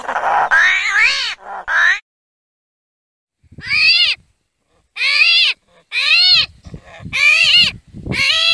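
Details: Armadillo screams in harsh, arched wails with strong overtones. A burst of three cries is followed by a pause of over a second, then a quick run of five more rising-and-falling screams.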